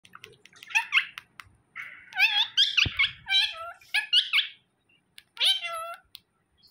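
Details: Domestic cat, a male reacting angrily at the sight of a phone, giving a long string of strained, wavering meows and yowls that rise and fall, repeated in bursts with short pauses, one sharp click in the middle.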